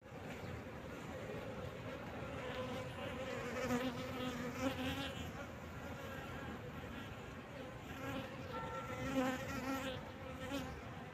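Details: Honey bees at a beehive in summer: a steady, dense droning hum with low tonal bands that holds through the whole recording, swelling slightly at moments, with no other clear sounds.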